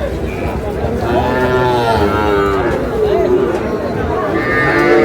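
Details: Cattle at a market in Comilla, Bangladesh, where a farmer buys a Sahiwal bull calf, recorded 3 June: drawn-out, wavering moos with rich harmonics, several overlapping, over steady crowd murmur and bargaining voices.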